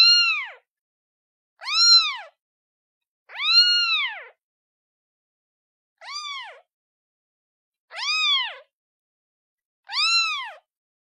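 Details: Young kitten calling for its mother, giving six clear arched meows roughly every one and a half to two seconds, each a bright harmonic cry that rises and drops, with silence between calls.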